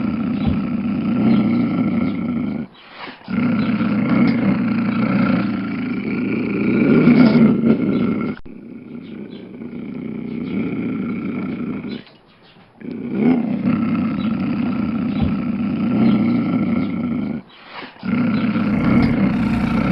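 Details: Lion giving drawn-out, deep roaring growls, a rough low rumble with strong harmonic bands, broken by short silences near 3, 8 and 12 seconds.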